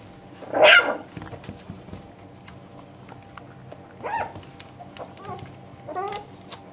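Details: Three-and-a-half-week-old Parson Jack Russell Terrier puppies indoors. One loud, rough yelp opens the recording, followed later by two softer, thin squeaks amid light rustling.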